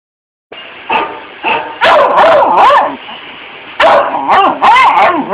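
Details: One-year-old female beagle, a rare barker, barking at a dog on TV: loud, yelping barks rising and falling in pitch in uneven bursts, tiring toward the end.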